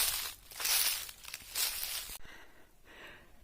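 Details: Crunching, crumpling and tearing noises in loud bursts, which stop abruptly and give way to quieter rustling, with no animal voice.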